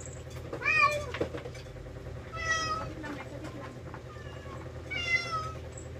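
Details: Rescued pet cats at mealtime while eating: three clear, arching meows rich in harmonics, spaced about two seconds apart, the first the loudest, over a low steady background hum.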